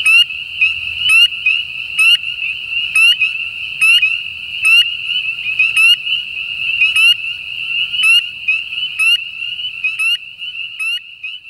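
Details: Spring peeper (Pseudacris crucifer), a common winter breeding frog in Southern Louisiana, calling: clear rising whistled peeps repeated about once a second over a steady shrill high-pitched drone, loud and close, with little other sound.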